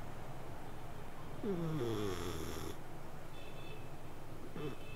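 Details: Cat asleep, giving one long snoring breath with a downward-sliding harmonic tone that lasts over a second, followed by a brief, fainter snuffle near the end in a quiet room.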